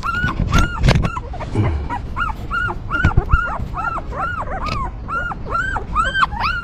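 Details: Newborn puppies of a stray mother dog whimpering: rapid high arched squeals repeated about twice a second, several pups overlapping, with low rustling and thumps of the mother cleaning them.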